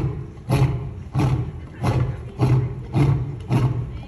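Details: African lion roaring: a series of six deep, short grunting pulses, each strongest low in pitch, repeating steadily about every 0.6 seconds, with a faint background hiss.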